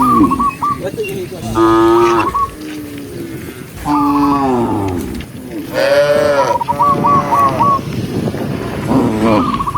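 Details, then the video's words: Herd of tame cows running down a lush green hill during herding, several animals giving deep, drawn-out moos of one to two seconds, spaced by short pauses, some calls overlapping. "cow sound cow Moo"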